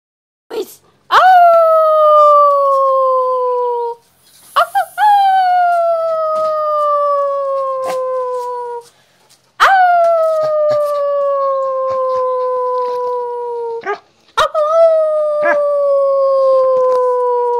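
A dog gives long sustained howls, each starting with a sharp rise then slowly sliding downward.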